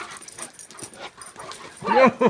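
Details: Leonberger dogs Uzi, a young male, and Elsa, an older female, romp during their first meeting. Soft murmurs and scuffles lead into two sharp, tonal yelps at the end, with a person talking faintly.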